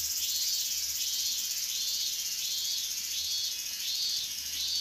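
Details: Loud summer chorus of higurashi cicadas near the edge of the restricted zone in Minamisoma, Fukushima, August 2011; shrill high trilling with rhythmic rising-and-falling waves roughly every second over constant buzzing.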